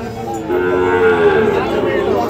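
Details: At Ambari cattle market in Dinajpur district, a Monday market, on 24 November 2025, a Sahiwal bull calf gives one drawn-out, even, low moo that swells in the middle and fades, with muted market noise behind it.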